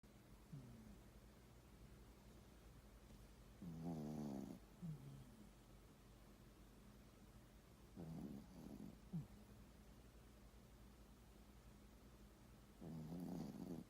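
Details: A poodle asleep, snoring in a small indoor room: three louder rasping snore bursts around four, eight and thirteen seconds, with softer breathy snorts between and a steady low background hum.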